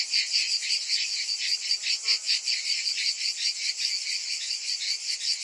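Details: Many cicadas in summer produce an unbroken high-pitched buzz, pulsing rhythmically roughly two and a half times each second, with a faint brief lower note near the middle.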